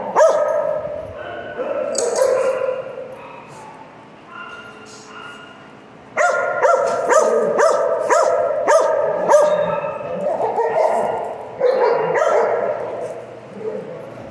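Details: Piper, a pet dog, talking at length: drawn-out, moaning whines and yodel-like vocal bursts, some rising, others wavering, coming in uneven clusters with short pauses between phrases.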